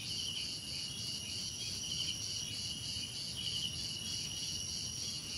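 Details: Steady cricket chirping for unwinding, a bright unbroken wall of high insect trills with a lower pulsing band rising and fading in slow swells, backed by a muted low rumble.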